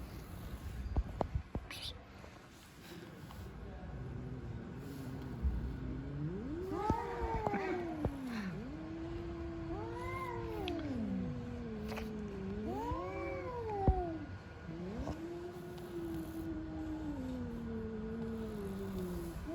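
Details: Cats fighting with strange noises, recorded outdoors in Türkiye among street cats; long, drawn-out wavering yowls rising and falling in several arching phrases, with scattered clicks and faint background rumble.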